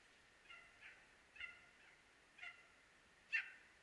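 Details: Dachshund hunting dog pursuing a hare in Norrland, Sweden: a few faint, far-off tonal barks spaced about a second apart, the last one louder, against a calm, quiet backdrop.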